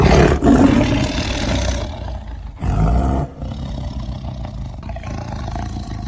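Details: Tiger (Panthera tigris), roar.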